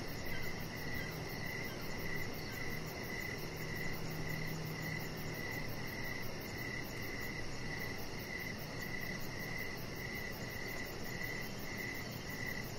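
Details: Evening crickets around a deck with decoration lights, a chihuahua puppy named Rocket lying nearby; evenly spaced chirps repeat about twice a second against a steady background hum.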